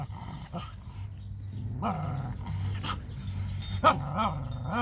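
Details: While eating food, puppies give low, wobbling growl-whines in short rising and falling swoops, joined by a few sharp higher squeaks.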